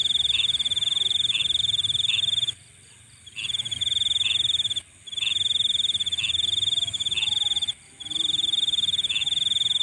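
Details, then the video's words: Nighttime insect calling: a piercing, finely pulsed trill runs in several-second bouts separated by short silences, over a steady high-pitched background hum and soft periodic chirps. "Nighttime Insect Sounds"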